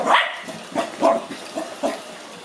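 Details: Five-month-old Lhasa Apso puppy indoors, excited, afraid and curious on meeting a robot vacuum for the first time: a string of short, sharp yapping barks, about five in quick succession, with a faint hum behind.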